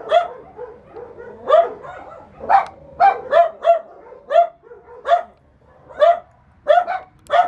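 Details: Shy dogs bark repeatedly in loud, ringing barks about once or twice a second, mixed with lower grumbling whines and soft yips in the gaps between barks.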